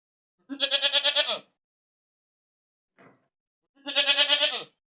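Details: ['Goat screaming loudly. Two long bleats pulse rapidly, like a shaky wail, about three seconds apart, with a faint short rustle between them and no other noise.']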